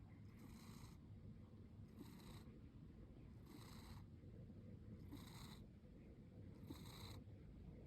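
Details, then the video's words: One-year-old house cat snoring while sleeping with eyes partly open, breathy hissing snores repeating roughly every one and a half seconds, low and quiet, against a faint background hum. "When Your Cat Sleeps with Open Eyes… and Snores Like a Champ!"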